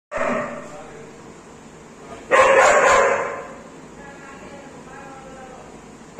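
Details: A two-year-old German Shepherd gives a loud, harsh burst of barking while guarding a cow house, with voices faintly behind.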